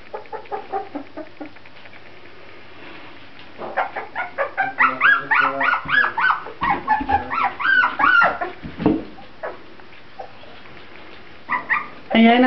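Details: Grand Basset Griffon Vendéen puppies from the Viersenhoeve kennel: a few faint squeaks, then a run of high, arched whines and yelps close together, fading into quiet before a last loud squeal.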